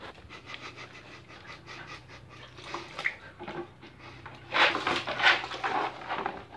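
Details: Siberian Husky named Irma panting while trying to fit into a small bucket to cool off; rapid breathy pants, quiet at first, then louder and harsher bursts near the end.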